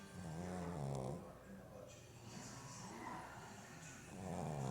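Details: Sleeping pug puppy snoring: two low, buzzy, rumbling inhaled snores with a steady droning tone, one at the start and one at the end about three and a half seconds apart, softer breathing between.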